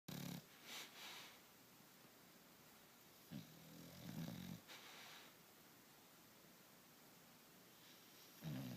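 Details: An English Bulldog named General, asleep indoors, snores in short low rasping bursts at the start, around three to four and a half seconds, and at the end, with quiet hiss between.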